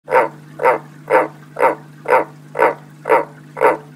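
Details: Pet frog calling ahead of coming rain: loud, harsh nasal croaks repeated steadily about twice a second, eight in a row, with a constant low electrical hum underneath.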